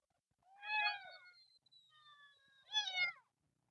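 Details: Screaming kitten among a group of temple cats living in nature: two loud, bright, harmonic meows about two seconds apart, linked by faint thin sustained tones.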